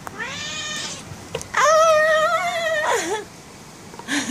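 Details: Oyster, a female pet cat, angry and wanting to go out, gives two drawn-out harmonic meows indoors, the second louder and longer, ending in a wavering downward fall.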